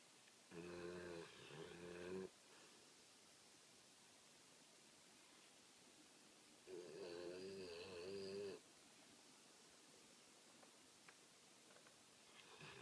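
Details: American Pit Bull Terrier asleep and snoring: two drawn-out, rasping, nasal snores, each lasting nearly two seconds and about six seconds apart, with quiet breathing pauses between them in a still room.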